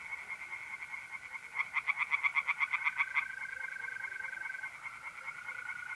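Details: A tree frog in a North-East Italian pond on an April night gives a short burst of quick pulsed croaks lasting about two seconds, then the unbroken trill of mole crickets carries on alone.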